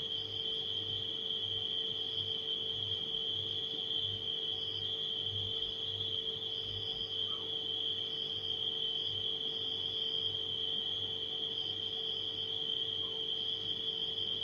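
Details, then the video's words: Nighttime crickets blended with a refrigerator's steady hum: an unbroken, high, slightly pulsing insect trill holds at one pitch throughout, over a low constant electrical drone. "Crickets & Refrigerator Humming Sound"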